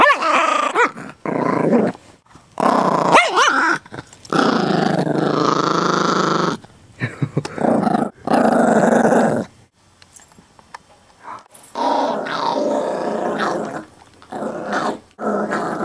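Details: Growling Chihuahua mix guarding a bone, all bark and no bite; choppy bursts of rasping growl alternate with brief silences and some human talk.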